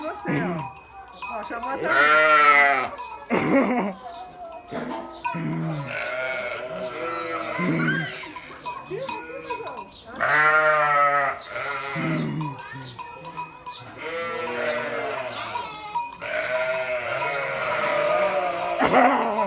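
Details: Several sheep bleating in loud, quavering, nasal bursts, some overlapping, spread through the recording, with people talking in Portuguese between calls and a steady high ringing tone in the background.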